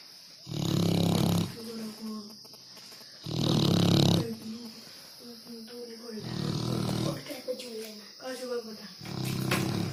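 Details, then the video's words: Dog asleep and snoring, with heavy low rumbling breaths recurring roughly every three seconds while a person talks quietly between the snores. "Funny dog snoring"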